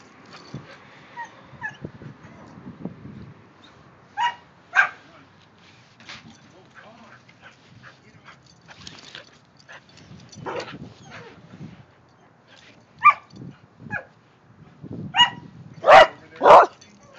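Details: Kerry Blue Terriers, including a silver female, playing with the dog next door; short sharp yips and barks come in scattered bursts, loudest near the end, with a person's voice briefly heard.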